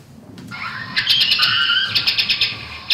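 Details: A Mexican free-tailed bat's echolocation made audible while it hunts insects: thousands of pulses heard as a rapid run of chirps blurring into a continuous buzz.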